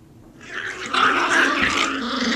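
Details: Puppy growling during play, a single rising rough growl that swells after a quiet start and holds for about two seconds.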